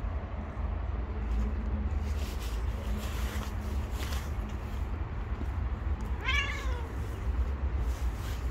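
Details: A single clear meow from a stray cat living on the street, arching up and down in pitch, heard late in the clip above heavy low traffic rumble.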